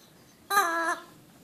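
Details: Orrin the border collie lets out a single short, tonal whining yelp under half a second long, bright and harmonic, with a slight downward bend at the end, in a quiet indoor room.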